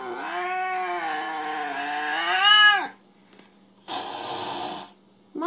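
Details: Mo, the jealous cat being called mean for sulking, gives a loud, nearly three-second caterwaul that swells and ends in a sharp downward slide, followed by a short burst and the start of another cry.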